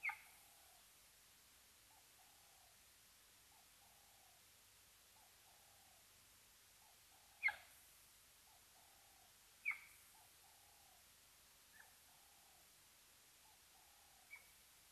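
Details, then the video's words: Cheetah calling at the Mabula Gnu waterhole, Mabula Game Lodge, South Africa: a steady series of short, soft, low yelping notes about once a second, broken by a few sharp clicks and faint higher chirps. "Cheetah calling at Mabula Gnu, was still calling behind cam"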